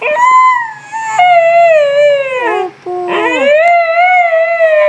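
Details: Siberian Husky howling: a long, tonal, wavering howl that drifts slowly downward, breaks off briefly, then rises and holds steady again. A short break splits it, and there is no other clear sound.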